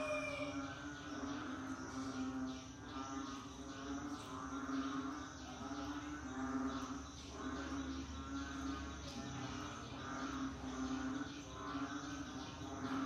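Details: Rainy-season frog chorus, overlapping rapid croaking pulses and chirps repeating continuously above a constant low hum.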